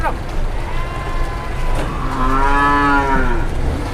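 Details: Raging cow moving near cars on an Indonesian road: a single moo rises and then falls over about a second, set against continuous traffic noise and low rumble.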